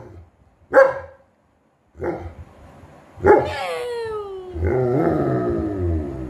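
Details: Rocky, a German Shepherd, following mom, gives three short sharp barks about a second apart, then a falling whine that runs into a rough, grumbling growl-like vocalisation.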